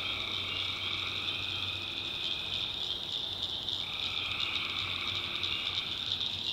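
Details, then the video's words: In the North Carolina backwoods at night, a massed tree frog chorus rings as a constant high trill, with a lower calling phrase fading out near the middle and then resuming, over a soft low hum. "Relaxing Swamp Sounds at Night - Frog Heaven - Frogs, Crickets, Forest Nature Sounds"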